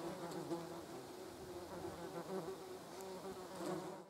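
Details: Several German wasps, or yellow jackets, gathered on a jar of jam, producing a steady overlapping buzz of wingbeats that rises and falls slightly in pitch, fading out at the end.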